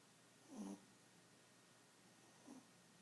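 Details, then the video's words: Small pet Chihuahua snoring, said to snore like an old man; two brief, soft raspy snorts roughly two seconds apart, the first longer, over a quiet indoor background. "A snoring Chihuahua"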